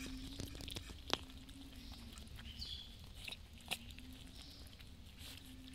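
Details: Street cats fed daily eating their food, giving soft, scattered crunching and chewing clicks at irregular moments over a steady low hum.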